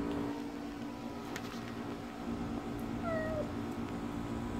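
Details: A black stray cat, healthy despite the summer heat, gives one short falling meow about three seconds in over a steady low hum and faint background noise.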